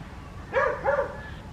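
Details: West Highland White Terrier named Adriano in a village garden at Hoat Wala, South Punjab, Pakistan, on a winter morning: two short, mid-pitched barks in quick succession over quiet outdoor background.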